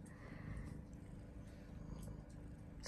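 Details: British Longhair colorpoint cat named Xuni, nine months old, kept indoors and fond of boxes, purring softly in a low, continuous rumble with faint pulsing, ending in a brief sharp click.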